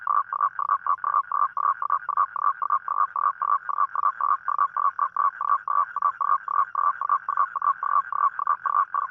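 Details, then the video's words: Toad calling at night for a mate: a steady run of short, harsh, mid-pitched croaks, about three to four each second, with nothing else heard. "เสียงร้องคางคกตอนกลางคืน | The Sound Of Toad At Night"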